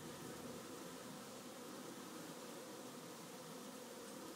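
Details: One of the beehives during its busy afternoon, with a dense steady buzzing from many honey bees, a low even hum that does not pause and stops abruptly at the end.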